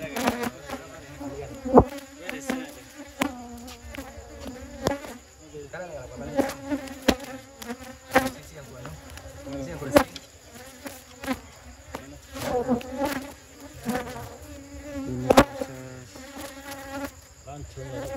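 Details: Honey bees buzzing around people taking honey from their nest in a village, amateur harvest; a dense droning hum with layered steady tones, swelling and fading, broken by sharp knocks and handling clatter throughout.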